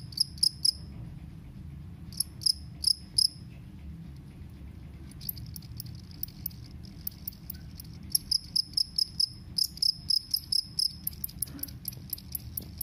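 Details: Two-spotted cricket (Gryllus bimaculatus), chirping song.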